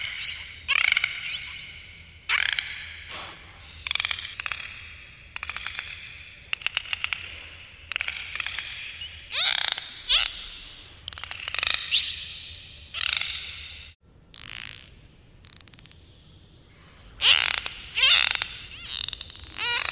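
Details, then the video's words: Underwater dolphin chorus with dense, rapid bursts of raspy, crackling pulses, many lasting under a second, threaded with high thin whistles and brief chirps, barely pausing across the whole stretch. "dolphins underwater sounds"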